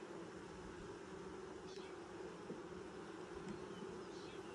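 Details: Steady droning of a honey bee colony at its first inspection, six days after nucs were installed in 2020; a dense, continuous low buzz with a fuller upper band, and faint distant chirps overhead.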